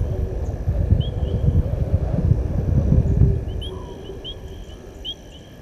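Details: Lion male roaring from the far side of the open area at Gowrie dam, Sabi Sand Wildtuin, South Africa, 19:47, 18 August 2022; a deep loud roar fills the first three seconds then dies away, leaving bird chirps and a steady background hum.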